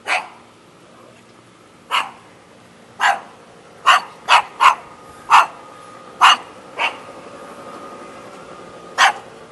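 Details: Shaggy dog in Jeonju, North Jeolla Province, Korea, barking in sharp, short bursts, about ten in total, spaced irregularly and bunching closer in the middle, with a faint steady tone behind.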